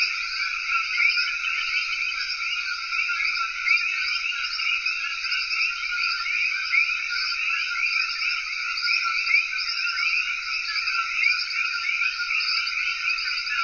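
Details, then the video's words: Chorus of common coqui frogs recorded in Cayey, Puerto Rico, many callers overlapping into an unbroken shimmer of high chirping notes layered in distinct bands, even in loudness from start to finish. "Coqui Frog Chorus (Cayey, Puerto Rico)"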